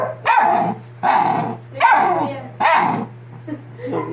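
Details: Ear-cropped Doberman pups, sixty days old, crying in four loud, harsh yelps spaced roughly every eight tenths of a second, each falling slightly in pitch, over a low steady hum.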